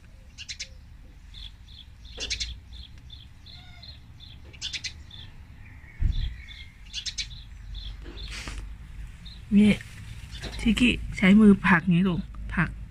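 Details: Korat cat Tiki, raised in Thailand and later moved to England, utters a run of short harmonic meows near the end after a stretch of light twittering birdsong outdoors.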